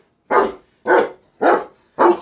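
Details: German shepherd barking, four loud, harsh barks evenly spaced about every 0.6 seconds in a quiet indoor setting, each bark a short broadband burst that fades quickly.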